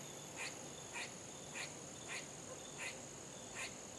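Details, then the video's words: Barking squirrel giving clipped, scratchy calls at a steady pace of roughly two per second, seven in a row, over a constant high-pitched hum. "Barking squirrels"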